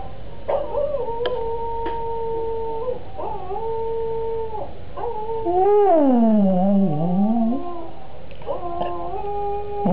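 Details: Indoor cocker spaniel joining in with another cocker spaniel heard singing on a computer: series of flat sustained howls broken by short yips, then a louder wavering howl dipping low and rising back.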